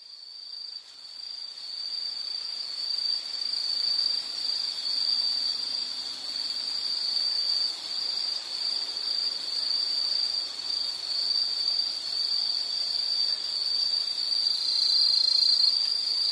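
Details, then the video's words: Insect calling in a nature recording: a continuous, shrill, high buzzing trill held at one steady pitch. It swells in over the first second, then runs on unbroken, with a slight pitch shift near the end. "Sound · Nature Sound of nature sounds scenery L · insect"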